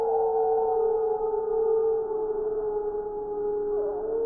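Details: Several gray wolves howl together in a chorus in Wisconsin in December 2019, long steady tones overlapping at different pitches.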